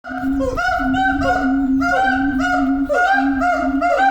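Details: Siamang at Osaka Tennoji Zoo in Japan, recorded 7 February 2024 at 10:31, giving a powerful, continuous chorus of loud honking whoops with a steady low drone beneath and repeated rising-falling cries every half second.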